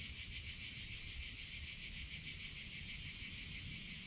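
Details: Droning summer cicadas, an intense high buzz that stays level and constant, with faint low-pitched noise below.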